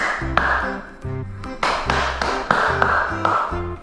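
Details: Instrumental music with tapping, plucked beats and a repeating melody, with no animal sound heard.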